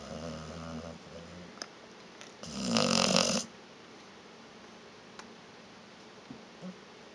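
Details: Vita, a sleeping pet dog called a little snorer, gives a low, buzzing, rattly snore, then a louder harsh rasping snort lasting about a second, before quieter breathing resumes indoors.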